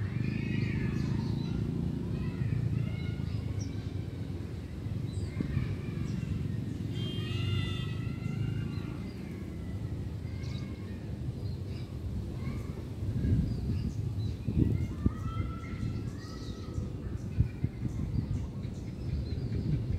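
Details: Cat giving a series of high, wavering meows, several in quick succession around the middle, some rising then falling, set against a constant low droning rumble with occasional knocks.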